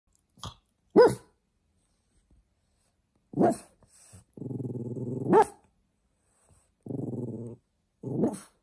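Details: A small blue French Bulldog barks for attention, giving sharp single barks between low, rumbling growls.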